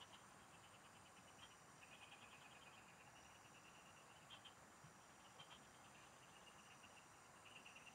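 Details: Field frogs calling as someone fishes nearby: soft, rapid pulse trains running almost continuously, a few sharper chirps standing out, set against a continuous high-pitched insect buzz.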